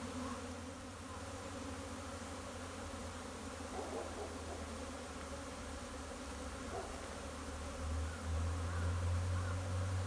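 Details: Spring swarm of Japanese honey bees entering a hive on 15 April 2021; an unbroken low humming buzz swells louder toward the end, with a few faint brief higher buzzes passing by.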